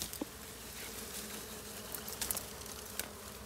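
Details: Wild bees at a forest hive, where collectors blow smoke to drive them out; a steady low hum runs throughout, broken by scattered clicks and rustling.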